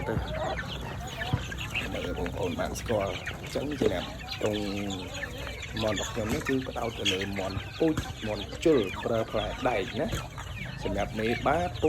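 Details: Fighting chickens raised as sport birds, a farm flock bred from imported Asil-type stock: overlapping clucks and harmonic cackles from several birds, with thin high peeping, a man talking over them throughout.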